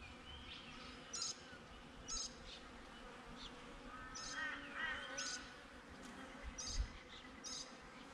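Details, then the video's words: Beehive hum from honey bees, GoPro set outside the hive: a constant low buzzing drone underneath short, sharp bird chirps that come every second or so, with a brief warbled phrase midway. "Bee Hive - Nature Sounds"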